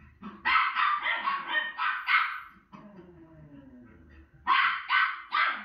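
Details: Watching herself on television, a female Miniature Schnauzer lets out a rapid burst of harsh barks, then a lull with low murmuring TV sound, then three more loud barks.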